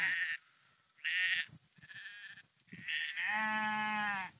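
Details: Sheep walking along the dike at the Porrenkoogdeich near Husum, Nordfriesland; several short, quiet, breathy bleats, then a louder, sustained, wavering bleat lasting about a second.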